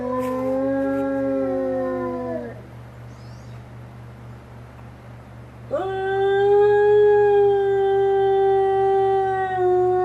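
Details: Captive gray wolf giving a mournful howl at the gate that joins the retired pack's enclosure, facing that pack, in late March with freezing nights; howling linked to care staff leaving. Long level howl falling away, a pause, then a fresh steady howl, over low hum.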